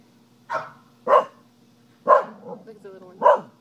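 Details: Pet dog barking four times in short, sharp bursts about half a second to a second apart, while a spider nearby hops with each bark; faint low hum underneath.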